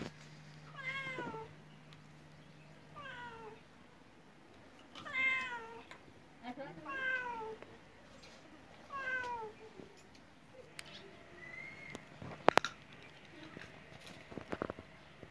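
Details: Domestic cat meowing five times at roughly two-second intervals, each call a drawn-out wail that rises and then falls, over a constant low hum, followed by a sharp clatter and a faint higher cry near the end.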